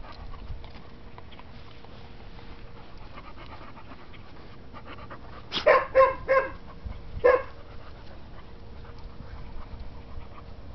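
An English Springer Spaniel gives a quick run of short, sharp yelping barks over a steady background hum.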